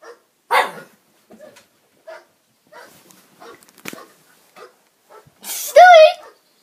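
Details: A pet pug barking in reaction to barking noises: a sharp, loud bark near the start, scattered faint yips, then a long, louder tonal whine-like bark near the end, all indoors.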